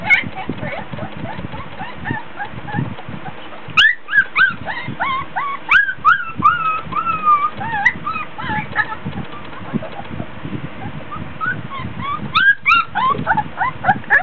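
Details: Litter of 3-week-old Border Collie puppies playing in their whelping box, fussy from heat and tiredness: dense overlapping whines and squeals, some bending upward then down, mixed with thumps and low rumbling handling noise.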